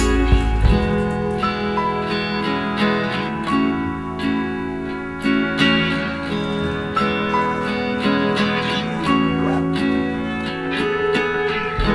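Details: Gentle plucked and slide guitar music plays throughout with an uneven rhythm, and no snoring or other animal sound is heard.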